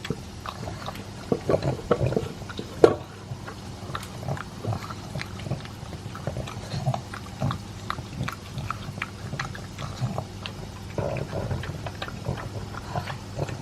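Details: Elvis, a two-year-old pug, eating his dry food with a chunk of beef meat indoors: rapid, irregular crunching and wet smacking clicks throughout, loudest around the third second, over a steady low hum.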